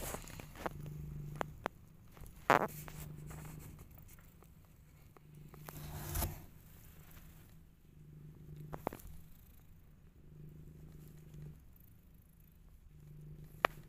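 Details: Rescue kittens, growing up and fighting with each other: a low, rumbling purr comes in repeated bursts of a few seconds, broken by short sharp clicks, scrapes and rustling movement noises.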